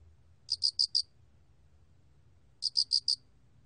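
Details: Alak cricket (알락귀뚜라미), 2020 recording by Korea's National Institute of Biological Resources: two crisp, high chirps, each four fast ticking pulses, about two seconds apart, with a faint rumble beneath.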